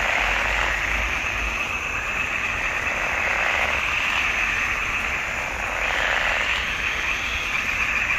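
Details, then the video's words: Frog chorus from a June 2021 swamp pond: many overlapping high, rasping croaks merge into an unbroken hum that swells and fades slightly over several seconds. "Il canto delle rane in palude"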